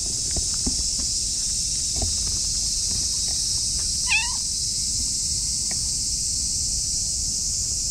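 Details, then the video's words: An affectionate orange tabby cat rubbing against someone's legs gives a single soft, high meow with a brief wavering rise and fall. "甘えん坊の茶トラ猫が可愛い声で鳴きながら足にスリスリしてきた"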